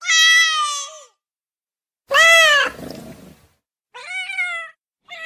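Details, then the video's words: Domestic cat meowing to get immediate attention: three drawn-out, harmonic meows, the second louder with a falling tail of rough noise, separated by silent gaps, plus a brief start of a fourth. "SOM DE GATO MIANDO"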